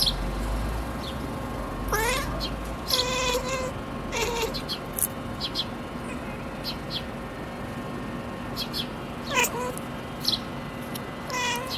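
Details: A Siamese cat, trying to sleep while birds stay active, makes small clusters of quick, clipped, harmonic chirping trills that bend up or down, a few seconds apart, over a low steady hum.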